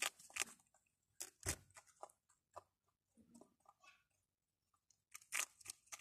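Rabbits chewing food, with crisp crunching and tearing bursts broken by brief pauses.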